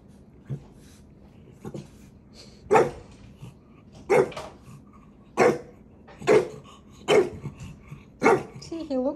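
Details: A puppy named Maui, one of several dogs including bulldog, French bulldog and chihuahua, teases his big brother; six sharp barks come at irregular intervals of about a second, with quiet room background.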